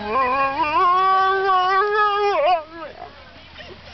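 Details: Impatient before lure coursing, Bongo the Saluki holds a steady, slightly rising howl for over two seconds, then it wobbles and falls away into quiet background noise.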